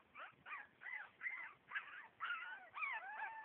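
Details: Havanese dog howling while being encouraged to continue: wavering, rising-and-falling whiny notes repeated about twice a second, each bending up then down, with a person speaking softly nearby.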